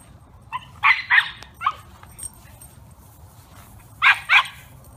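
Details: Senior male Wire Fox Terrier, newly arrived at a rescue after losing his owner, barking in short bursts: a pair of sharp barks, a few softer ones, then another quick double bark.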